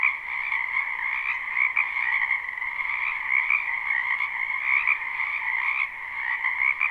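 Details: Frogs croaking in a spring wetland near a home, a live recording: steady massed trilling in two pitch bands, pulsing slightly with louder calls rising above the constant chorus.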